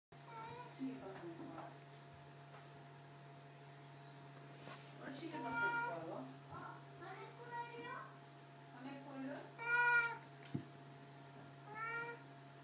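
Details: ['A 17-year-old cat, calm for its age, gives several drawn-out meows with a rich harmonic tone, scattered between stretches of human speech and a steady low hum indoors.']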